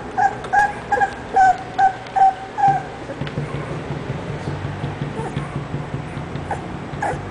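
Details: English Bulldog whimpering: seven short, high, tonal whines come in quick succession over the first three seconds, followed by quieter rustling and background noise.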